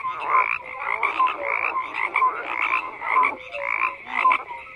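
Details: A chorus of croaking frogs: bursts of clattering, pulsed calls overlap with short upward-sliding notes, swelling roughly every half second and never fully stopping.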